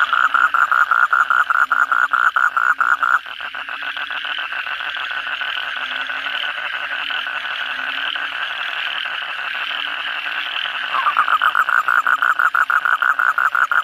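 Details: After heavy evening rain, Asian common toads (kodok bangkong) call in a crowded chorus; a nearby animal gives long rapid pulsed trills at the start and again near the end, with a continuous buzzing mass of calls between.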